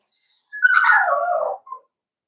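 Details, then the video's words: Cavalier King Charles Spaniel puppies playing in an indoor home puppy pen; one drawn-out whining yelp that slides downward, followed by a brief short yip. "Puppies Playing"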